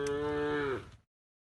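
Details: A single tame cow moos once while being herded to the livestock pen: a steady, rich, nasal call of about one second that bends downward at the end.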